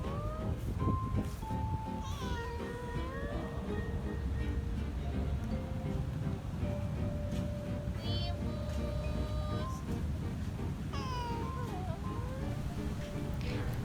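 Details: Meowing of domestic cats, a call directed at people, since adult cats do not meow at one another. Sliding and level harmonic meows come in bursts every few seconds against continuous music.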